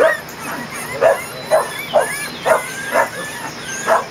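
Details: Kerry Blue Terrier puppies, 20 days old, on their first outing in an outdoor play area in June, giving short rising yips and whimpers roughly every half second over a steady background hum.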